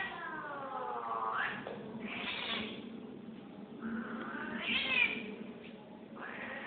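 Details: Angry female cat giving drawn-out wavering yowls and moaning caterwauls that rise and fall in pitch, several long cries in a row over a steady low background hum.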